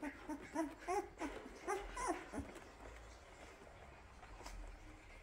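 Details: Labrador Retriever puppies with their mother before lunch, making soft rhythmic squeaky grunting noises likened to a coffee machine, pulsing several times a second and fading after about two and a half seconds into quiet rustling.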